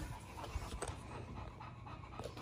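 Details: English Bulldog, female, indoors wearing a banana costume while being offered a banana to eat; steady rapid panting breaths throughout with soft snuffling, ending in a sharp click.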